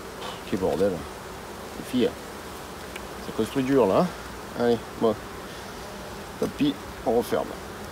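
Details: Buzzing of honey bees during an end-of-summer hive visit on 22 September. Brief droning passes rise and fall in pitch and are scattered across eight seconds, with a steady low hum between them.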